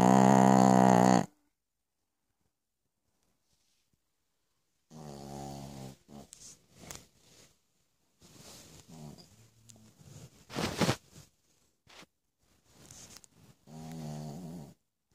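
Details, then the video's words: Night-time snoring from Piccolina the Pekingese: one strong harmonic snore, a pause, then softer broken snuffling and rasping breaths with a final harmonic snore. "Piccolina Pekinese schnarcht in the Night."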